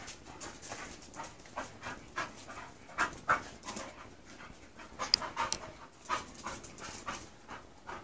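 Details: English Bull Terrier Mush, a female approaching her second season, meets the male Spike; steady heavy panting with breathy in-and-out puffs roughly every two seconds, a few sharp snorts mixed in.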